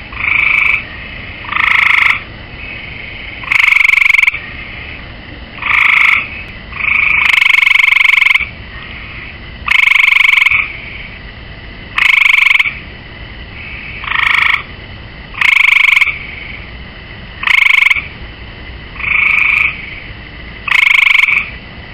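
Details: Gray tree frog on a swimming pool rail calling steadily: a long run of pulsed, rattling trills, each under a second, repeated every one to two seconds, varying slightly in loudness, over a low constant background hiss.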